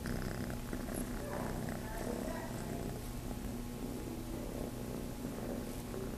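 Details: Kitten named Chase, living at Starlight Farm, purring while looking to nurse; a steady low rumbling purr runs unbroken through the whole recording, with faint soft rustling above it.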